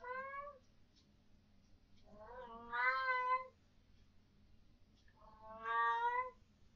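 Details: Vocal domestic cat indoors at night, reacting to what its owners believe are ghosts: three long, loud, wailing meows with wavering pitch, the last two drawn out, separated by quiet pauses with low hum.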